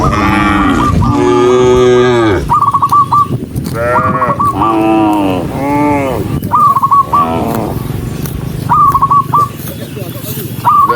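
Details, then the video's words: A herd of dozens of cows on the move along a rural road lets out loud, rich lowing calls, some long and swelling, others shorter, while clipped high chirps repeat in quick runs near the end. "Dozens of cows running happily along the rural road with the sound of their mooing, cow"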